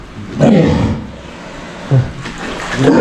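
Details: Captive walruses at the Ise Sea Paradise aquarium in Japan, just woken and answering their keepers: deep, rough roaring calls rise in short bursts about every second and a half, with a keeper talking.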